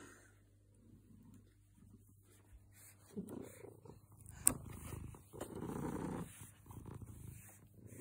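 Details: Domestic cat purring contentedly: quiet at first, then a low, grainy rumble rising in waves from about three seconds, peaking near six seconds, with a sharp click midway.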